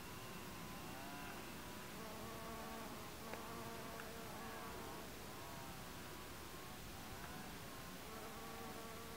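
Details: White-banded digger bee foraging on Salvia farinacea in summer or autumn; a wavering, humming wing buzz with stacked overtones rises and falls as the bee moves among flowers, over steady broadband background noise.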